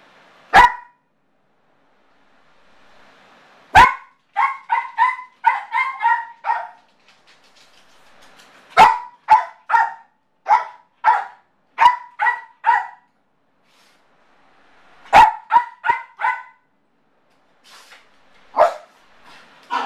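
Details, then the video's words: Motley, a Yorkshire terrier left alone and showing separation anxiety, barks in bursts: a single sharp yap, then rapid runs of five or six high barks, pausing between volleys, repeating across the stretch. "Separation Anxiety Yorkshire Terrier"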